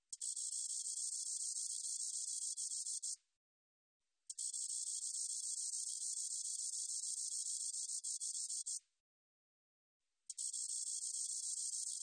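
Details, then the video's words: A spotted meadow katydid from a 2020 National Institute of Biological Resources recording sings in three long bursts of shrill, rapidly pulsed buzzing, each three to four seconds, with pauses of about one second between. "점박이쌕쌔기, 여러번 듣기, 곤충소리"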